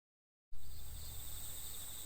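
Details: Crickets on an October autumn night in a forest at TAKIBIYA camp field, Japan: steady high-pitched ringing bands of insect song after half a second of silence, with low rumbling background noise.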